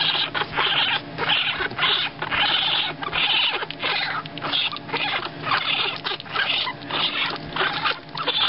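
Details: Two-week-old raccoon kits in a licensed wildlife rehabilitator's care make constant squeaky, chittering bursts. The bursts repeat about twice a second with short gaps and form a busy, scratchy chorus with no other clear sounds.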